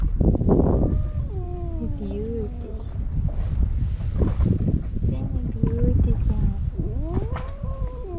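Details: Two male stray cats at the seaside in Istanbul, rivals that dislike each other, trade loud drawn-out wavering yowls that slide up and down in overlapping bursts, with a woman talking softly nearby and a low outdoor rumble.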